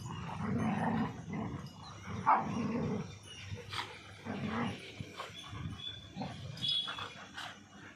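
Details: German Shepherd fighting two Labradors, aggressive and angry: deep throaty growls pulse roughly once a second, mixed with ragged snarls and scattered short high-pitched cries.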